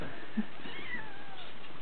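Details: Bengal kitten, six weeks old, giving a thin high meow that slides downward and trails off, heard against a steady background hiss in a quiet room.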